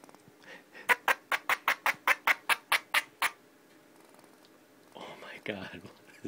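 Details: Pet female squirrel Pinky, upset after purring, barks indoors: a quick run of about eleven sharp, clicky bursts roughly five per second, then a woman's voice and shuffling.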